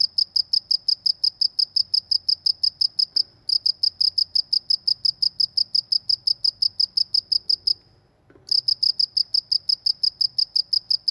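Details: Rural cricket calling with rapid high, ringing chirps in a steady train, briefly falling silent twice, once for a moment and later for about half a second, before the chirping resumes at the same pace.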